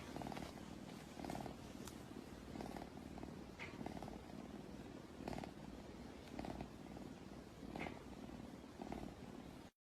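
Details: Domestic cat purring loudly and continuously, the low rumble rising and falling in even pulses about once a second with each breath, with faint higher clicks over the top.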